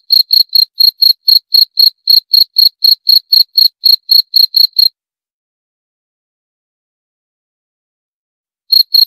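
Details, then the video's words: Cricket gives a quick, even series of shrill chirps for about five seconds, falls silent for nearly four seconds, then resumes with a few more high pulses. "29 Menit Suara Jangkrik - 29 Minutes Cricket Sound Effect"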